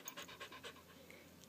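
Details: Short run of rapid breathy panting from Candy, a dog upset by the fire alarm needing a battery change, fading after a few huffs as she is comforted.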